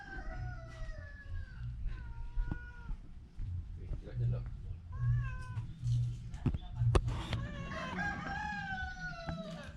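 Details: Sick ginger cat with a cough and cold, a string of descending meows, some long and some clipped, mixed with a person talking and a few sharp knocks in a small room.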